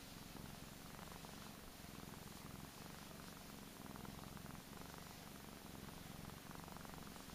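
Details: Steady purring from a fat, spoiled male Persian cat: a deep, vibrating, evenly pulsed drone that continues without pause, with slight swells in loudness.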